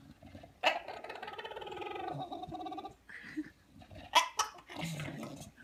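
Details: A bulldog makes odd noises: a sustained nasal, buzzy whine, followed by sharp snorting bursts and lower throaty grumbles.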